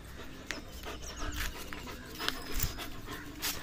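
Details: German Shepherd dog playing with a rope, breathing in quick, noisy panting bursts, with a few low thumps and faint high chirps in the background.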